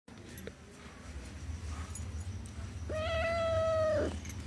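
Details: Domestic cat answering its owner in a conversation, giving one drawn-out, steady, tonal meow of about one second with clear overtones, after a quiet stretch with low room hum; a woman speaks Telugu just afterwards.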